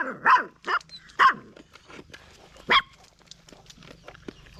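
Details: Stray dog barking: four loud, harsh, harmonic barks at uneven gaps, two close together early, then a pause before a last one, with faint scattered clicks and a low steady hum behind.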